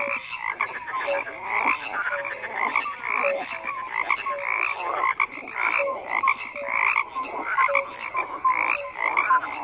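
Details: Crowded frog chorus of rasping croaks and brief clear notes, repeated steadily without a break, many callers overlapping.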